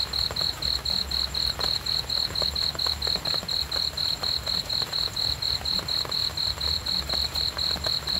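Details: Relaxing cricket chorus for sleep, a single high-pitched chirp pulsing regularly and without pause, backed by a gentle low hum and occasional soft ticks.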